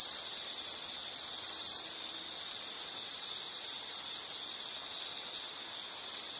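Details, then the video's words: Insects trilling in one steady, shrill, high-pitched band that rises and dips slightly in loudness, with a brief dip near two seconds, played as calming background for study or sleep. "Sound · Nature Sound of nature sounds scenery L · insect"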